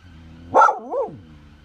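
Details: Pet dog in a back garden, agitated on finding a yellow courgette growing there, giving one sharp bark followed by a wavering, whining yelp that rises and falls before fading.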